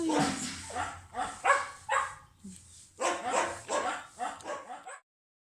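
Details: Dog barking while being stroked and petted: a series of short, harsh, broadband barks at irregular intervals, with brief pauses between bursts, before falling silent near the end.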